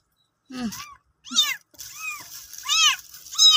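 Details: Cat during the birth of kittens: a short low mew, then a quick run of high, bent, harmonic mews, about five cries packed into under four seconds.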